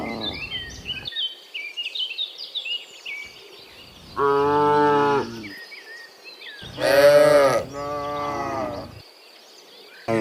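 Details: Cows in the morning returning from the field to the pen: two loud harmonic moos, the second louder and longer, after birdsong-like chirps and faint background noise at the start.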